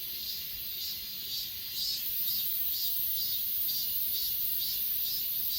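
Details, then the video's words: Chorus of grass insects on Achasan mountain, Korea, captured on an S20 Ultra: rhythmic high chirps pulsing roughly twice per second above an unbroken ringing drone, with no birds or voices heard. "아차산 풀벌레소리"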